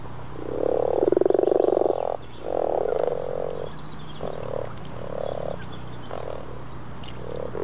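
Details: Common frogs (Rana temporaria) give soft, low purring croaks in short bursts, one after another, on a serene April 2014 day in northern Sweden.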